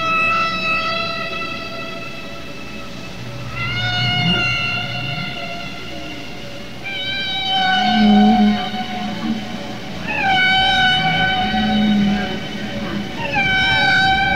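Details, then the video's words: Humpback whale song from males, sung probably to attract females; males in a group share one song of many repeated patterns and update the tune over time. Tonal, harmonic moans with upswept endings recur about every three seconds, with low grunting units between them. "ತಿಮಿಂಗಿಲ ಹಾಡುತ್ತೆ ಕೇಳಿ ಮಾನವರೇ... (Listen to the song of humpback whales)"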